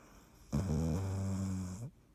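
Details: Sleeping cat named Dottie, 17 March 2019: one drawn-out, rumbling snore of about 1.3 seconds, a low droning buzz that holds steady and fades at the end, followed by silence.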